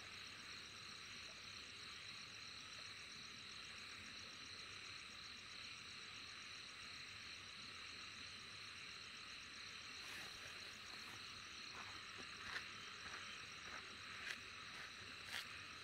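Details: Insects in a dense, steady chorus of high shrill buzzing with fine pulsed trills layered on top. Soft clicks and ticks appear during the last few seconds.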